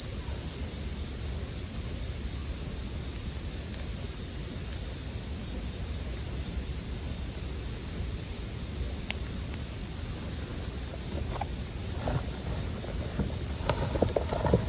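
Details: Bell crickets ringing in a steady, unbroken high-pitched tone that holds for the whole stretch, mixed with the soft crackle and pop of a campfire and a faint low rumble underneath.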